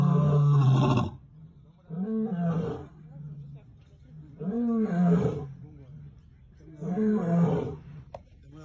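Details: Lion on safari in Senegal roaring: deep, grunting moans about two seconds apart, each swelling then sliding downward, starting with one long loud bellow followed by softer, shorter calls.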